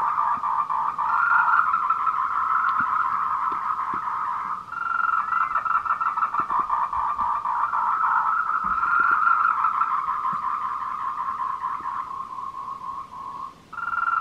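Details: Tree frogs giving mating calls at 14:00, 26 April 2018, along the Meiling Wulong Trail, Nanxi, Tainan, recorded on a Canon PowerShot SX720 HS; rattling pulsed trills come in long bouts separated by short pauses, several voices overlapping.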